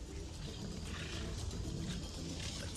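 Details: A Siberian tiger gives a deep, rumbling roar that holds steady throughout, reportedly while attacking a hunter.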